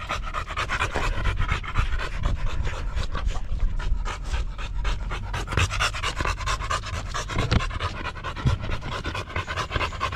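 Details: Buding, a Golden Retriever who takes care of her owner, pants steadily with fast, rhythmic breathy puffs throughout, several per second, over a low background rumble.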